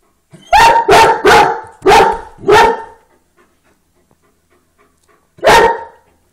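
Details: Dog reacting to a rabbit spotted through the window, giving a rapid burst of five harsh barks in about two seconds, then silence, then one more loud bark.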